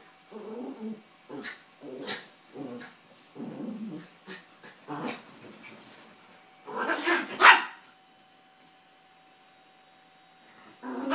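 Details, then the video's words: Two Yorkshire Terriers, Carla and Paco, playing and fighting over toys on a bed, where Carla pushes Paco off. Short gruff growly barks come in quick bursts for about five seconds, then one louder, sharper outburst follows a brief pause. "cute Yorkshire terriers playing Carla pushes Paco off the bed"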